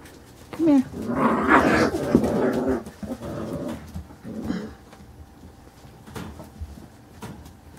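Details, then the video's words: Playing Carolina Dog puppies aged five weeks four days give a short yelp, then a burst of rough growling and squeals for about two seconds, fading to scattered soft noises, with a person speaking nearby. "Carolina Dog puppies playing"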